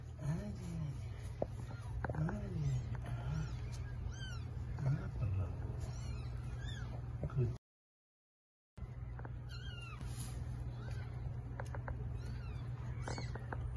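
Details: Domestic cat during the birth of eight kittens: a run of high, arching mews, some squeaky and rising then falling, coming in quick irregular bursts, with a short silent break midway and a low steady hum underneath.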